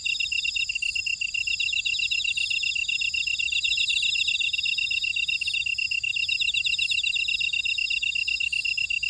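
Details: Grass insects calling in a buckwheat field in Ora-dong, Jeju City, on Jeju Island, South Korea: a steady, rapid, high pulsed chirping several times a second, overlaid with shimmering, buzzy higher trills from other insects, with no other sounds.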